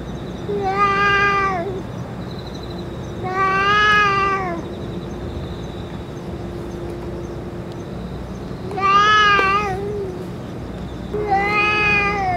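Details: Stray cats with the boss cat after eating food and medicine: four drawn-out harmonic meows, each about a second long, spaced a few seconds apart over a steady low hum.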